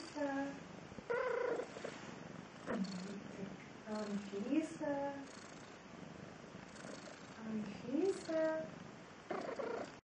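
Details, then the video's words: Pet cat responding when its owner calls it, trading vocalizations: a series of short chirping and rising meows with bending pitch, several grouped closely together, between quiet pauses; a woman's voice calls nearby. "Кошарик - ОТВЕЧАЕТ"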